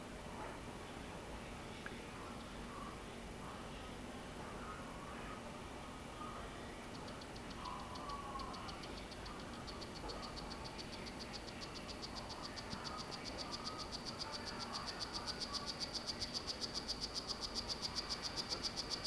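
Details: Captive male strawberry poison-dart frog of the Solarte form courting a female, after one failed egg clutch: a long train of rapid, evenly spaced buzzy chirps that begins near seven seconds and grows steadily louder, over a low indoor hum.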